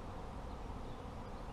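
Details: Honey bees swarming around a beekeeper's hives make a rich, even drone of overlapping wingbeats, steady and unvarying across the short stretch.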